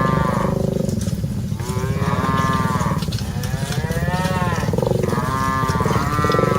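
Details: Dozens of cattle on the move during herding: several overlapping moos of varied pitch, some arching up and down, from more than one animal, over a constant low droning background.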